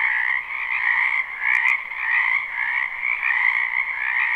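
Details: Frogs croaking in a wetland behind a house during spring, recorded live without looping: a dense, continuous chorus of many overlapping trilled calls in two steady bands, a brighter upper layer and a lower one, swelling and easing in gentle waves.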